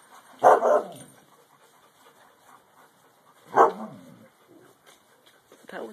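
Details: Alaskan Malamute puppy confronting his dad, letting out two sharp, loud barks about three seconds apart, with a quieter yip at the very end.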